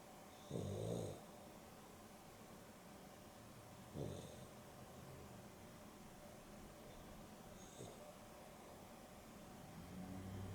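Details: Dexter, a dog napping beside Rio in the afternoon (a Boston Terrier and a Beagle cross), snores softly: a low rasping breath near the start, then two fainter snores about every three to four seconds in a quiet room.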